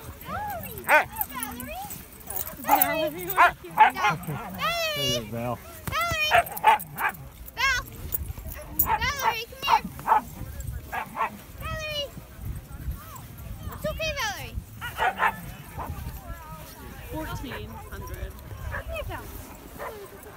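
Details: Husky and Malamute meetup in the snow, with dogs trading many wavering, yodel-like howls and woo-woo vocalizations that bend up and down in pitch, often overlapping in quick succession, mixed with short yips and background chatter.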